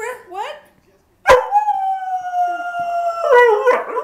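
A dog lets out brief rising yelps, then a sustained, tonal howl held for nearly two seconds and gradually sinking in pitch. Broken, wavering notes follow, and a person speaks briefly nearby.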